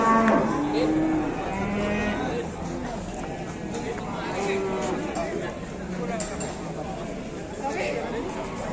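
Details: Heavy cattle at an Indonesian market while buyers haggle over price, short moos and lowing early on, then murmuring voices and background music.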